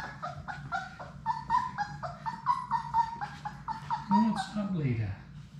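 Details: Playing Labrador Retriever puppies from a litter of six in their play room keep up a chain of short, nasal whimpers and yips, ending with a longer sliding whine that drops in pitch, above a faint low hum.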